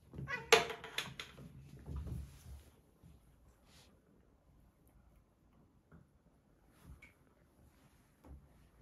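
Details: Two Siberian Forest kitten brothers, Michka and Sacha, wrestling indoors in a bathroom; loud scuffling bursts with a short meow-like cry in the first seconds, then quieter thumps, rustles and soft movement noises.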